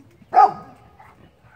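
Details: Single loud, abrupt bark from Lola, a dog playing with a squirrel, falling away quickly into a brief fading tail, with low background rumble and a faint later murmur.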